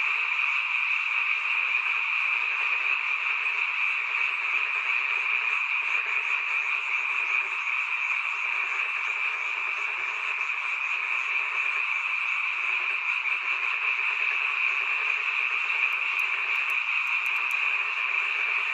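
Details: Many frogs calling on a night in a mountain village, a sound heard only at this time of year; a dense, unbroken chorus of shrill trilling croaks merges into a steady high drone throughout.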